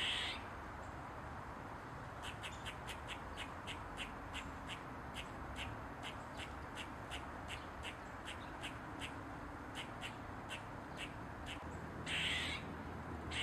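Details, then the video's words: Eastern gray squirrel perched on a mushroom, wagging its tail: a quick run of short, sharp barks, about three per second, from roughly two to eleven seconds, bracketed by louder, harsh squawking calls at the start and near the end. "Squirrel barking & squeaking loud sound"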